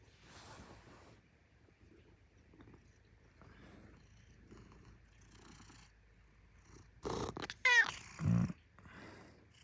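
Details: Maine Coon cat waking its owner in the morning, a quiet rumbling purr throughout, then a brief loud burst with a short rising meow-like call near the end, followed by another loud thump-like sound.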